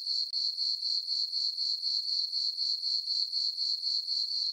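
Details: Summer-night crickets in a moonlit farm meadow give a continuous shrill chirping, pulsing evenly about four times a second, with no low sounds or other creatures.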